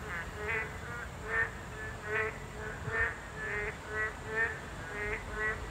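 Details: Boreal digging frogs at a habitat of this class 2 protected species: short nasal, buzzy croaks repeated more than once a second, some overlapping, over a steady background hiss.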